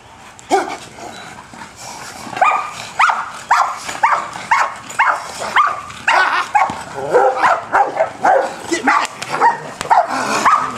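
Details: Male German Shepherd doing bite work gives a long run of forceful barks, about two per second and growing quicker and more ragged toward the end, with a little background noise.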